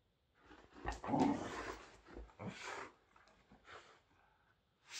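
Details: Whippets playing indoors, giving short rough growls and snorting breaths in bursts, one louder growl near the start followed by scattered softer huffs and rustling.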